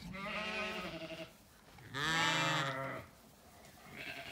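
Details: Zwartbles ewes calling for their dinner on a sunny Kilkenny farm in Ireland, waiting for the gate to open; two long, quavering bleats, the second louder and brighter, and a third beginning at the end.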